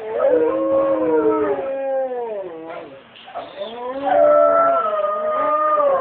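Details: Several gray wolves at a zoo howl together in the morning, long sliding tones overlapping in a wavering chorus.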